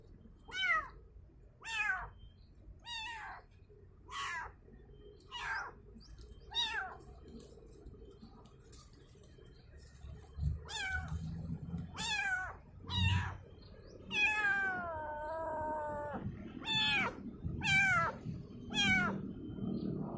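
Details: Calling for its mother, a kitten gives a long series of thin, high descending meows, one drawn-out wavering cry in the middle, with soft thumps and background noise between calls.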